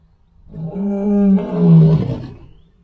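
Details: An adult male lion roars before dawn, a deep, rumbling roar that swells and then fades over two seconds.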